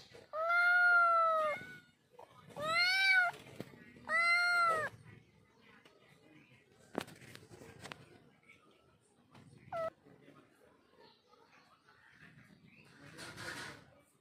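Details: Pet cat giving three loud, drawn-out meows in quick succession, each arching slightly in pitch, followed by quiet stretches with a soft short mew, clicks and faint background sounds.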